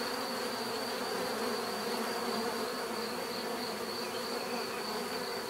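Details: Steady mass buzzing of bees, a rich low drone with bright overtones and a persistent thin high tone, level and unbroken from start to end.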